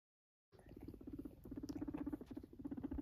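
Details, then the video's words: Purring guinea pig: a low, rapidly pulsed rumble in short bursts, about four pulses per second, with brief pauses between runs, over faint handling rustles. "Purring Guinea pig"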